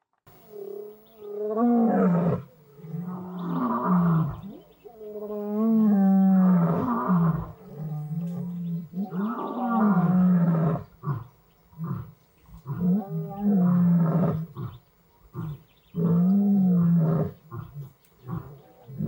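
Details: Lions of the Madrid pride on Blue Canyon Private Game Reserve in a hot summer dry spell: two young males practise roaring with an adult male. Deep, moaning roars come in about six long bouts, each swelling and falling, with short gaps between.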